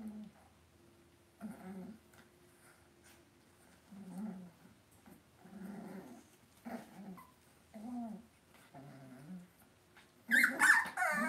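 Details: Cavalier King Charles Spaniel puppies being raised indoors in a home puppy pen: short, low, tonal whines or grumbles repeated roughly once a second, ending in a sudden harsher, louder yelp-like burst.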